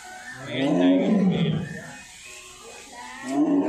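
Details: Low, grating white tiger roar that builds and falls away, followed by a quieter gap and the start of a second roar, with faint music underneath.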